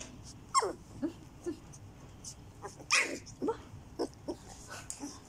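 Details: Border Collie mix puppies (Turjak), 14 days old, whimpering: several sharp squeals drop steeply in pitch, with softer squeaks scattered irregularly between them across a few seconds, over a low room hum.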